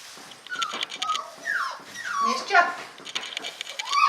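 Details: English Cocker Spaniel puppies whimpering indoors: high, thin whines that slide downward, several overlapping in quick succession, with brief sharper yelps and soft background rustling.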